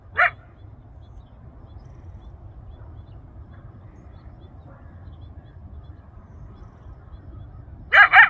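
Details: A wild coyote yelping for his family and friends in the Rancho Sierra Vista open space, Newbury Park, Ventura County, carrying about a mile. One sharp yelp opens, then a long quiet stretch of low background hum, ending with two quick rising yelps.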